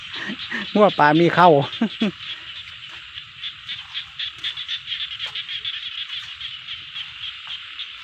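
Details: Several quick, throaty frog croaks in a rice-field setting, packed into the first two seconds, then only a steady shrill insect chorus with faint ticking continues.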